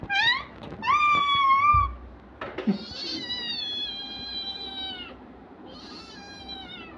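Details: Kitten meowing while two young children play with it: three high, clear meows, the first rising then holding steady, the others long and gently falling, with small room noises between them.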